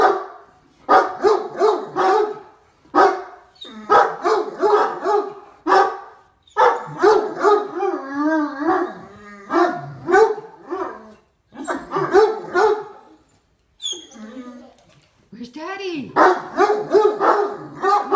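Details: Two Great Danes bark excitedly in rapid bursts, deep-voiced with some higher yelps, answering "where is Daddy" while waiting for their owner to pull into the driveway.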